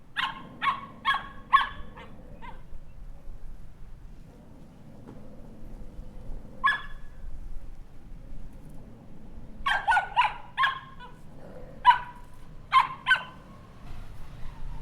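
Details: Puppy barking: a quick series of sharp, high yapping barks, a pause with a single bark, then a longer run of rapid yaps, against a low droning hum.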